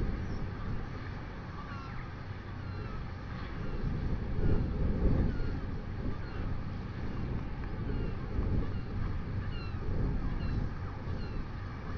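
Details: Steady low wind rumble fills the recording, with no clear animal call standing out.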